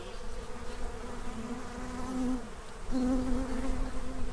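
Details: Bees in Central Illinois feeding ahead of winter: a continuous low buzz with two louder passes as bees fly near, the second starting abruptly and holding steady.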